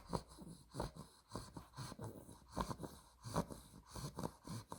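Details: A 2-month-old female Olde English Bulldogge puppy (blue merle tri) snores while sleeping, with deep, rasping snorts and wheezy breaths in a steady rhythm.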